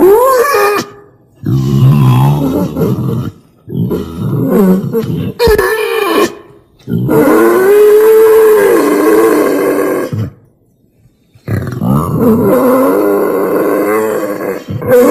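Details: Wild boar lure sound used for hunting from a hide: rough, harmonic grunts and drawn-out wavering squeals in bursts of two to three seconds, separated by short silences.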